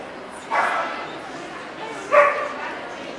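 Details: At an indoor dog show in Ostrava on 14 April 2012 with Welsh Corgi Cardigans and Pembrokes: two loud, abrupt barks about a second and a half apart, over a constant background murmur of talking people.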